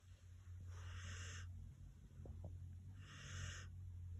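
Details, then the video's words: Sleepy senior dog snoring: a steady low rumble with two long, breathy hissing breaths about two seconds apart. "Sleepy snores"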